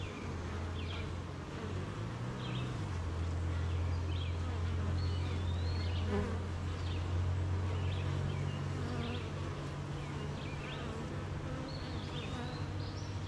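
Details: A honey bee hive hums on a wet morning with steady, deep, layered tones that thicken and grow stronger after the first few seconds. Scattered faint chirps of birds sit far above.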